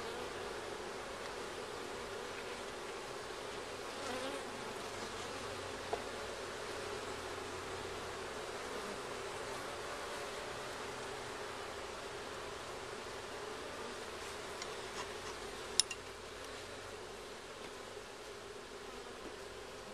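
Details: Honey bees humming inside and around their hive during a first inspection where comb was found; a steady, unbroken buzzing drone fills the recording, with a couple of faint clicks.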